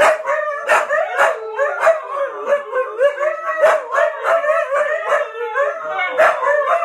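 Several huskies howl together in overlapping, wavering tones with yips mixed in.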